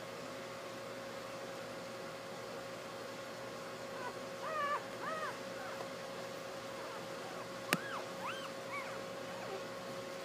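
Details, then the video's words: Newborn Basset Hound puppies, born 30 April 2012 and recorded the next day with their mother, give a few thin, arched squeaks rising and falling in pitch, clustered mid-clip over a steady indoor hum and one sharp click. "basset hound puppies born 4/30/12 good momma!"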